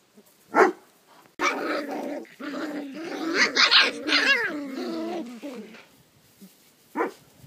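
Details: Maremma Sheepdog puppies give a sharp yelp, then a sustained wavering growl-whine that rises and falls for about four seconds before fading, followed by one last short yap.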